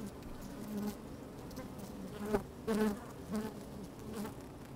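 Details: Honey bees busy at work inside an open hive on a fine, sunny day, microphone slid down among them: a steady low hum with brief louder buzzes rising near 2.3, 2.8, 3.4 and 4.2 seconds, faint wind in the background.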